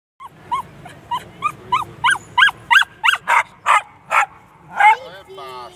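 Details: Bichon frise dog giving a quick series of short, high, yelping whines. About a dozen rising notes grow louder and harsher, then end in a couple of longer, wavering cries.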